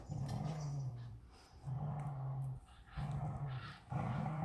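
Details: Vizsla puppy, day 61, wrestling a unicorn toy in a tug-of-war game, produces four steady, humming low growls of roughly a second each, evenly spaced with short breaths between.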